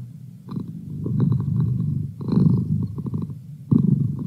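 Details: Merlin, a pet cat, purring close up as a study companion: a low, rough, pulsing rumble in sustained stretches, briefly breaking off near two seconds and again before three and a half seconds.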